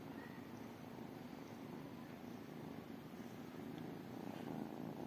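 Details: Tiny calico and tabby kittens waiting for love and food, heard as a soft, even, low-pitched purring drone set against steady background hiss, growing slightly louder near the end.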